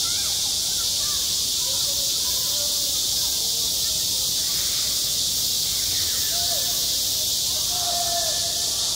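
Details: Summer cicadas droning at a school playground: a continuous bright, hissing wall of sound stays constant while distant children's voices rise and fall faintly underneath.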